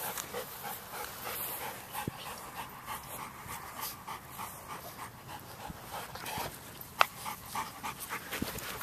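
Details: Playful romp in November 2013 among Black Russian Terriers Sadie and her daughter Yara plus a Chihuahua and young terrier visiting from St. Petersburg; steady rapid panting with scattered scrapes and clicks, one sharp knock near the end.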